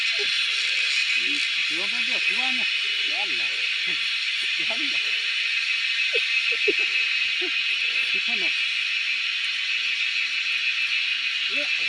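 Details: Wild cicadas keep up a constant piercing, buzzing hiss throughout, heard during a cicada hunt, while several people talk in brief, scattered phrases beneath the unbroken insect noise.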